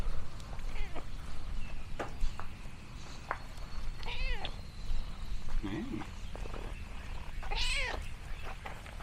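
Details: Orange tabby cat exploring a countryside farm gives several short, arched, harmonic meows, the clearest around the middle and near the end, over steady low rumbling background noise with faint human voices.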